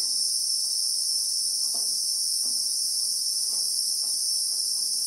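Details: Christmas beetle (Anoplognathus) in acacia bushveld, South Africa, in real time. A constant high, shimmering whine fills the whole stretch, with a few soft low taps behind it.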